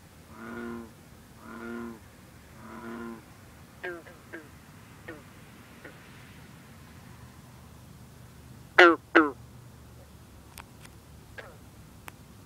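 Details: A Green frog (Bronze frog) gives loud, abrupt twanging notes, like a plucked loose banjo string, with bullfrogs and other green frogs calling faintly, on a cool, humid night with mist rising from the water.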